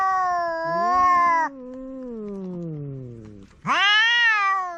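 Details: Quarrelling household cats face off: a steady drawn-out yowl, a deep growling moan that slowly slides lower, then an abrupt sharp yowl that rises and sustains.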